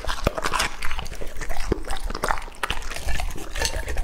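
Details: Raw meat being crunched by Lucky, a two-and-a-half-year-old English-type Labrador Retriever male; short burst of loud biting and wet gnashing, with a few sharp cracks standing out among quick jaw strokes.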